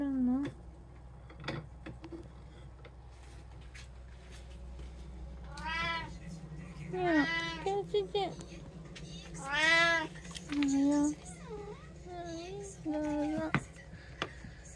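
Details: Three domestic cats at home on 2024/08/10, among them a tabby, a short-legged Munchkin and an Abyssinian, give several drawn-out, arching meows in the second half, some rising then falling, interleaved with a woman's speech in a small room.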